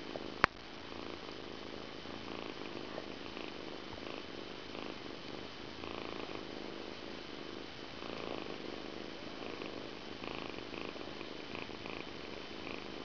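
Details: Persian cat named Stefan purring softly during evening grooming indoors, a low steady rumble pulsing with each breath at about one-second intervals, with faint rustling.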